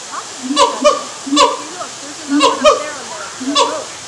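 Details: A siamang at Lowry Park Zoo in Tampa, Florida, calls in the morning with loud, hooting barks in short bursts, each note dipping slightly in pitch.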